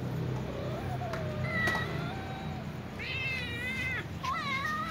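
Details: Domestic cats, a little ginger cat among several including a young white cat, meowing while asking for food; a few long harmonic meows, the last two rising then dropping, over steady low background rumble.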